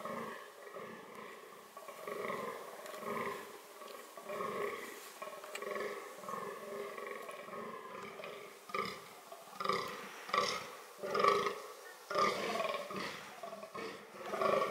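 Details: Dama dama, the fallow deer, calling during reproduction: guttural pulsed groans repeated about once a second, growing louder and more forceful toward the end.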